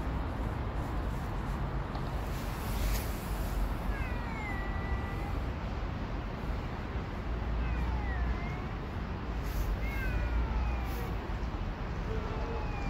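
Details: Stray backstreet cats recorded from too far away to get close: faint drawn-out falling meows, several spaced through the clip, over a constant loud low rumble of traffic or city noise.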